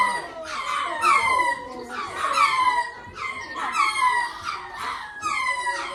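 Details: Lemurs calling: a series of loud, wavering, harmonic wailing calls with falling and rising tones, repeated roughly every second, several voices overlapping.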